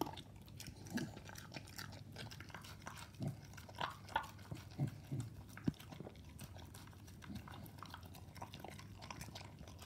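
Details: A Staffordshire Bull Terrier eats a mix of raw meat and dog food indoors, with wet chewing, crunching and soft thuds from a bowl.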